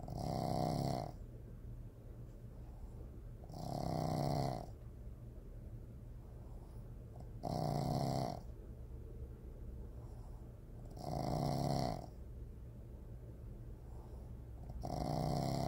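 A Boston Terrier snores in slow, rasping rumbles, one every three to four seconds.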